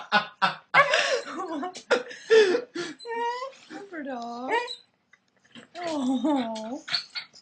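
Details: A corgi making 'talking' noises because it wants food: dipping, woo-woo whines that swoop down and back up, repeated in short bursts, with a person talking and laughing at the start.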